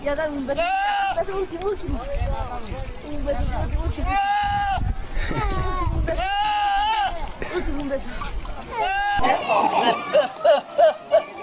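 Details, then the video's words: Goats from a funny compilation give repeated quavering, arched bleats roughly every two seconds over a continuous low rumble and crowd-like noise. People talk in the background, and a few short, higher bleats follow near the end. "Funny sounds of Goats"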